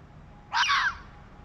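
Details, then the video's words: Fox prowling at night through an industrial area, giving a single short, harsh, hoarse scream lasting about half a second against a faint steady background hum. "Fuchs schreit / Bellt"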